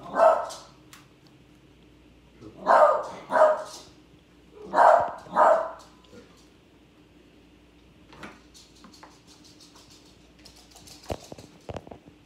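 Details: A very vocal Beagle barks loudly at something in the closet in paired, harsh bursts with short pauses between them.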